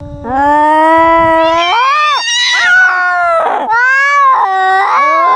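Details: Cats fighting at close range, heard from a first-person view: loud, drawn-out harmonic yowls that rise and waver, with a harsh hissing burst in the middle and overlapping wails from two animals.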